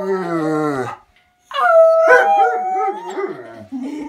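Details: A German shepherd howls along with a husky in response to a siren: a long, low howl sliding slowly downward, then higher wavering howls.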